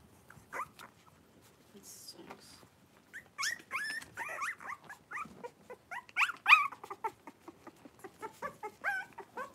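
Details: Blenheim Cavalier King Charles Spaniel puppies, a litter of five born at New Year, kept in a home puppy pen with their mother in January; sparse squeaks at first, then rapid chains of thin whimpers and short yelps, irregular.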